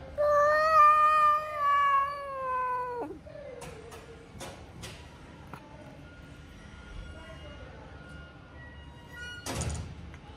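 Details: A sick, hungry, poor cat wanting love gives a long drawn-out meow lasting about three seconds, harmonic and slightly falling at the end, followed by quieter shuffling, clicks and a brief noisy burst near the close.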